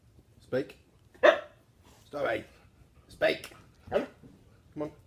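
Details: Husky singing on command while performing tricks, answering spoken cues to speak with short yowling, talk-like vocal bursts roughly every second, mixed with a person's commands.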